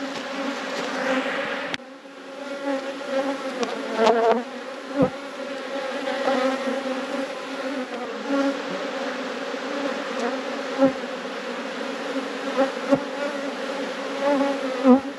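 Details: Honey bees hum loudly as the box is lifted off and the brood section of the hive is inspected. The layered buzzing drone is sustained, broken by scattered handling clicks and knocks.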